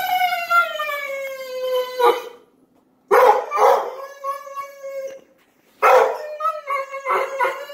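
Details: Petunia, a house dog eager to play with Stella, makes a dolphin-like whining howl: long drawn-out tonal cries that sag slightly in pitch, broken by brief yelping bursts, three bouts separated by short silences.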